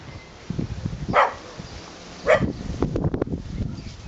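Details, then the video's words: Pet dog in its own garden barking at people walking past the house, guarding its territory; two loud, sharp barks about a second apart, followed by softer scuffling and low rustling sounds. "Me doing woofing at people making noises"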